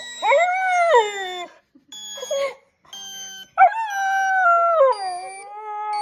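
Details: Young Border Collie, six months old, answers a sound known to set dogs off with sustained mid-pitched howls that bend upward and sag, broken by a pause and a brief yelp, thin steady electronic tones sounding throughout.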